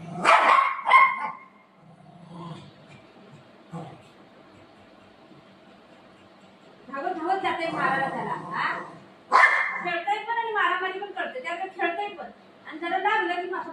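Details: Two pet dogs, Buzo and Milo, a golden retriever and a shih tzu, play-fighting at home over their owner: sharp barks burst out at the start and again near nine seconds, followed by yapping, growly cries, with a woman talking throughout.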